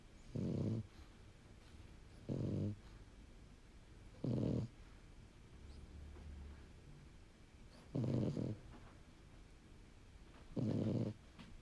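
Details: Pied French Bulldog Bun asleep, giving five rough, low, buzzy snores about every two to three seconds, each short and even in loudness, with soft breathing in a quiet indoor room between them.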